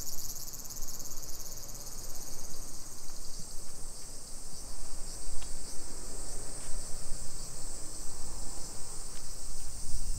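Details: Cicadas in a Nisshin city suburb, about 20 km from downtown Nagoya, Japan, on a July 2021 summer afternoon: an unbroken high-pitched buzzing wall of sound, with faint clicks and a low rumble of walking and traffic beneath.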